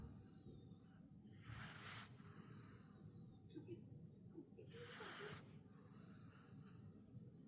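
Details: Mini pug snoring while asleep: two breathy, hissing snore breaths about three seconds apart, each lasting under a second, with quiet low rumbling between them.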